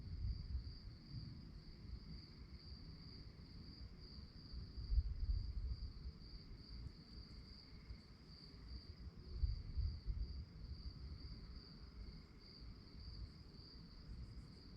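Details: After dark, crickets keep up a continuous shrill pulsed chirping, while low rumbling noise swells in brief surges around the fifth and tenth seconds.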